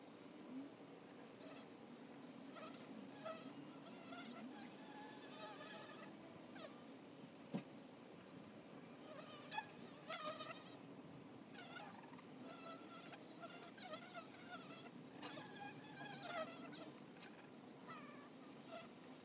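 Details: Low, constant buzzing of honey bees at a hive entrance, joined by frequent bright chirps and twitters from birds nearby and occasional soft taps.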